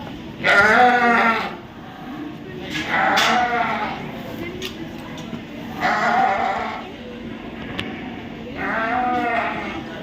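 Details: Sheep at the Royal Winter Fair 2023 in Toronto, Ontario, Canada, bleating in wavering nasal baas repeated about every three seconds.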